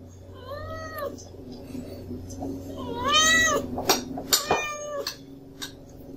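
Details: Sully, a pet kitten, whines for food at mealtime with two long, slightly wavering meows, followed by clicks and clattering noises near the end.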